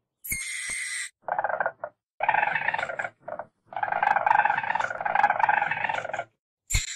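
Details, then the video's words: Weasel calling: bursts of buzzy, harmonic chattering in the low-middle range alternate with short, higher, hiss-like squeals, in abrupt separate segments with gaps of silence between them. "WEASEL VOICE"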